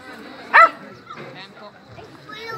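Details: Border collie named Alde at its first Rally-Obedience trial, G1 class competition; one sharp, high yipping bark bursts out about half a second in, then quiet murmured human voices and faint background chatter fill the remainder.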